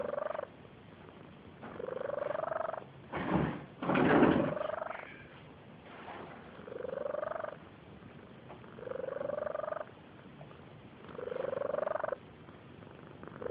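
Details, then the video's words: Barn cat asleep and snoring: rhythmic breaths, each a slightly rising, whistly nasal tone lasting about a second and repeating roughly every two seconds, with a louder rustling thump midway through. "Snoring barn cat"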